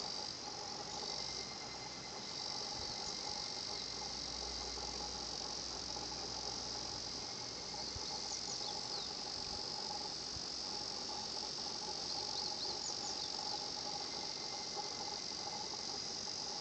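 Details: Higurashi cicadas heard at 新発地庵, a quiet natural spot: a continuous high-pitched buzzing chorus that swells slightly in places, with brief sliding chirps over it and a soft low hum underneath.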